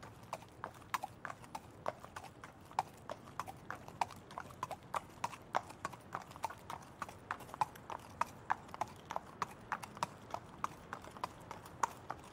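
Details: Horse trotting: sharp, regular clip-clop hoofbeats, roughly three to four strikes per second, steady throughout over a faint background hiss.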